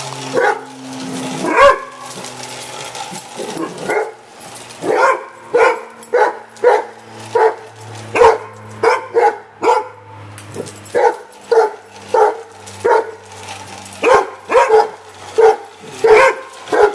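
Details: Barking from two Rhodesian Ridgebacks puzzled by a radio-controlled pickup truck: a long run of over twenty gruff, punchy barks, brief pauses early on, then a steady beat near one and a half per second.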